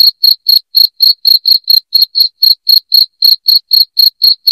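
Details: Cricket calling loudly, meant to scare rats away from a home; bright high-pitched chirps pulse steadily about four times a second against silence.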